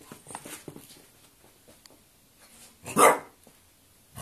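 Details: A quarrelling French Bulldog lets out a single sharp, loud bark near the end, after soft shuffling and small clicks in a small room.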